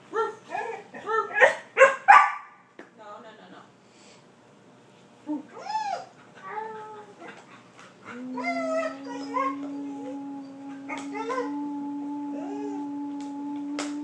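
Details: Border Collie 'talking and laughing' indoors: a rapid burst of loud yips and barks over the first two seconds. A pause, then softer rising whines and yowls, and from midway a steady, unwavering hum beneath the calls.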